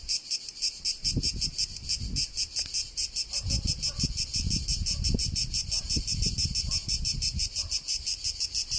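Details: Tuscany, Italy: a cicada's shrill, rasping drone, rhythmically pulsed about three times per second, over scattered low thumps and rumble.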